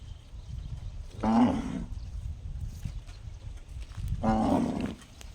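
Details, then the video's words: Gong-like cow call heard twice, three seconds apart: each a half-second, rich, buzzy burst with a steady low tone underneath, set against continuous low-pitched outdoor rumble. "Funny cow noise sounds just like a gong"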